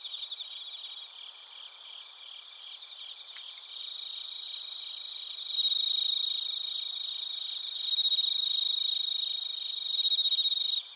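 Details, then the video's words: Crickets, including bell crickets, in Narita, Chiba Prefecture, Japan, captured with a TASCAM Portacapture X8. A high continuous insect chorus, with a nearer caller's loud pulsed trill swelling in three bursts in the second half. "スズムシとコオロギの鳴き声 - Chirping of crickets"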